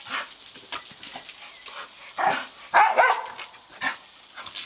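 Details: English bull terrier named Diesel playing with a water hose; a cluster of excited, rough barking yelps, loudest around the middle and final seconds, set against continuous hissing noise.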